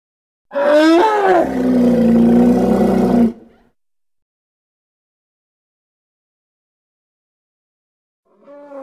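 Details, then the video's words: Loud hippopotamus vocalisation: a rising-and-falling honking start, then a coarse, pulsing low roar of about three seconds, a long quiet gap, and the faint onset of another call. "Hippo (Congo) Sounds"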